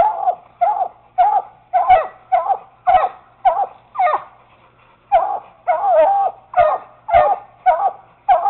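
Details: Walker pup treeing on a caged coon while a Bluetick hound named Bobbi joins. Rapid, evenly paced chop barks sound almost twice a second, each short and ringing, with a brief gap midway.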